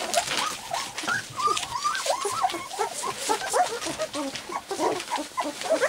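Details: . Three-week-old white English cream golden retriever puppies walking and playing, trying out their first barks; a steady chorus of high, wavering whimpers and squeaky yips from several pups overlapping throughout.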